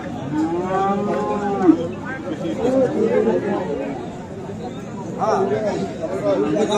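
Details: Bull calves of Friesian and crossbred cattle at Aftabganj livestock market in Dinajpur, on 10 December; several drawn-out harmonic moos rise and fall over a murmur of crowd chatter and market noise.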